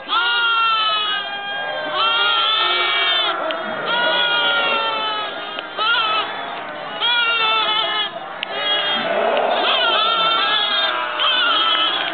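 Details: Lambs recorded in November 2009 bleat almost without pause, a dense chorus of overlapping quavering cries. Each cry lasts about a second, and many animals call at once.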